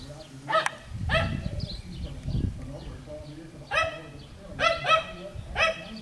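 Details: Schnoodle puppies, a Miniature Schnauzer and Miniature Poodle cross, playing on a farm in Iowa; short high yips and squeaky barks in bursts, some clustered, over low human speech in the background.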